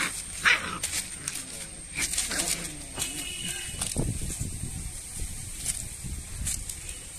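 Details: Aggressive Rottweiler puppies growl and yap in short rough bursts, with people talking nearby.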